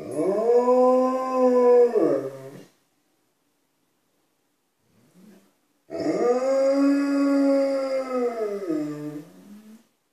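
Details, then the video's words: Two Alaskan Malamutes, Tuvaaq then Aanaga, indoors calling to people outside the house: two long, steady, harmonic howls about two and a half to four seconds each, held level then dropping at the end, separated by a quiet gap. "Malamutes making their presence known"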